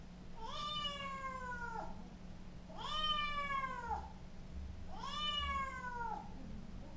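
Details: Chloe, a young Scottish Fold kitten, gives three long meows indoors, each about a second and a half, rich in harmonics and bending slightly down at the end, separated by short pauses over a faint constant electrical hum.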